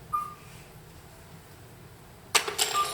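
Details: A common midwife toad, the species whose male carries its young, gives a short, pure, flute-like beep, repeated after a pause of a few seconds.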